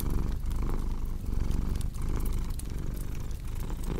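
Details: Close, deep cat purr, rumbling and slightly uneven across a few breaths, with the light snapping crackle of a fireplace in the background, meant for calm sleep.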